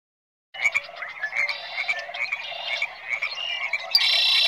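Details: Frogs calling in a dense chorus: many overlapping high, rattling croaks that run continuously, with a louder buzzy burst near the end.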